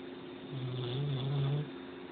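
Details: Mystery, a pet dog, snoring while asleep: a single low, droning, slightly wavering snore lasting about a second, set against a steady faint electrical hum.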